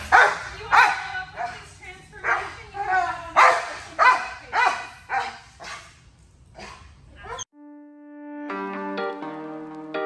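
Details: Hound mix dog barking in a run of loud, harsh barks, roughly one every half second to second, fading out before music with sustained tones takes over in the final seconds.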